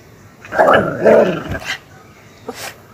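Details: Aggressive pet Miniature Pinscher making two rough, snarling growl-barks about half a second apart, harsh and noisy mid-pitched bursts, then a faint short sound near the end in an otherwise quiet setting.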